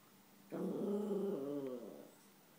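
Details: Indoors, an eleven-month-old Yorkie named Chewy gives a single steady low growl lasting about a second and a half at his own reflection, tailing off into quiet.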